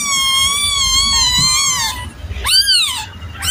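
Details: A long, steady, high kitten meow lasting about two seconds, followed by a short arched mew and the start of another.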